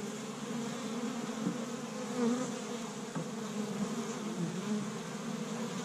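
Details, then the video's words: Honey bees swarming busily around their established hive on a warm spring day in Michigan, collecting tree-bud pollen; thick unbroken buzz with slight rising and falling swells as bees pass close. "See Busy Honey Bees Active in the Spring"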